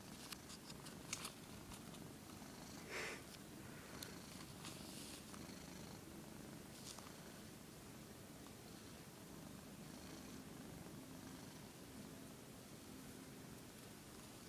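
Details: Domestic cat, said to hate cameras, giving a continuous deep purr that holds an even rhythm, with a few faint clicks and rustles at the start.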